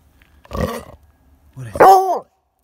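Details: A female Redbone Coonhound bays at a squirrel she can't catch, two short, rich bays, the second rising and then falling in a ringing arc.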